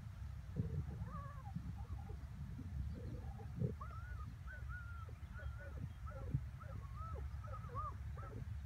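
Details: Working terrier hunting a groundhog, sliding in on it, recorded 21 May 2017; thin, high whining tones that arch up and fall, given in quick irregular bursts through several seconds over steady low rumbling background noise.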